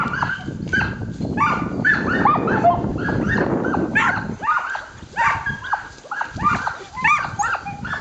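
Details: Team of Samoyeds at the start of a 20-mile dryland carting run in January, 10 degrees F with wind; excited chorus of overlapping yelps and barks, dense and continuous, with wind rumble underneath.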